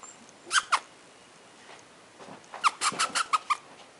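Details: Varden, a male red apricot Toy Poodle puppy, gives two short high whimpers, a pause, then a run of five or six quick, thin, slightly falling yelps over steady background hiss.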